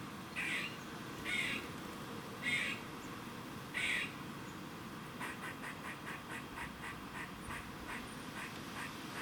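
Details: Warning noise from a squirrel in Cambridge, UK, 27 September 2019, 3:16 pm: four loud wheezy, duck-like rasps roughly a second apart, then a fast run of soft clicking chucks over constant low hum.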